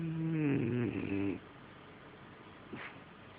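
A French Bulldog gives one long, throaty, rumbling snore that wavers in pitch before fading to quiet.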